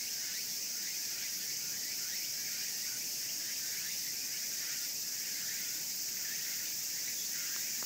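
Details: Cicadas, loud in the greenspace of the Imperial Palace East Gardens in Tokyo, fill the air with a steady, shrill hiss, punctuated by faster pulsing buzzes.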